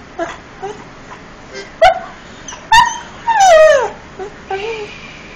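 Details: Irish Setter dog singing: a series of short tonal yelps and whines, then a longer falling howl near mid-length with clear harmonics, followed by a softer wavering whine; quiet room background.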